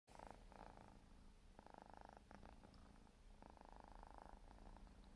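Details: Four-month-old Siberian forest cat kitten grooming itself: a steady low rumbling purr runs throughout, broken by three longer stretches of rasping mid-pitched noise and a few brief scratchy bursts.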